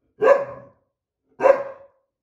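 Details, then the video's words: A white boxer named Ridgely, upset that an older black Lab mix took the window seat, argues indoors. Two sharp, harsh barks about a second apart, with silence around them. "White Boxer and Black Lab Mix Argue Over Window Seat"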